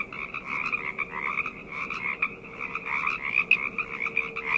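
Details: Short stretch of a night frog chorus: crowded overlapping croaks pulsing quickly and steadily in two bright bands, with a thin constant hum in the background.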